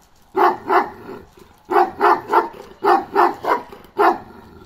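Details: A loud run of deep barks from Balyoz, a 15-month-old male Kangal. The barks come in quick clusters of two and three, about eight in all, with no other sounds.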